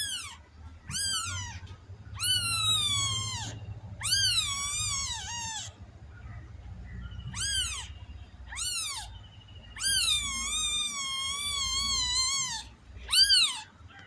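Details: Domestic cat meowing repeatedly in a rapid series of high, arching calls, some short and chirp-like, others drawn out and wavering, with brief pauses between them and a low background rumble.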